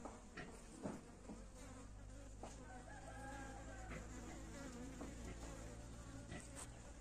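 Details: Kept honey bees make a steady, low droning hum, broken now and then by soft knocks and clicks.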